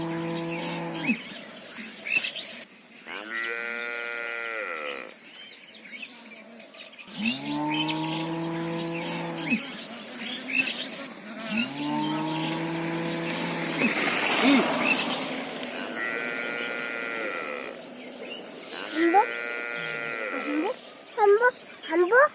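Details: Gou Mata, a mother cow, calling to her calf with a series of long moos. Deep, level lows alternate with higher, strained bellows, each about two seconds long with short pauses between. Faint birdsong runs underneath.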